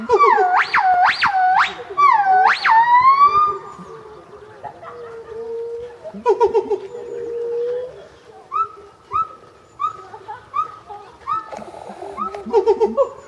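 A black-crested gibbon opens with several loud, swooping notes that climb sharply in pitch. Softer, evenly spaced hoots with quick upward flicks follow, repeated every second or so.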